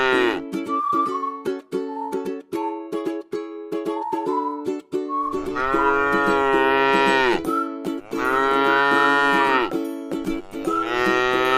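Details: Plucked ukulele music plays alone for about five seconds before tame cattle resting in a rice field give three long, deep moos in close succession, each harmonic and drawn out.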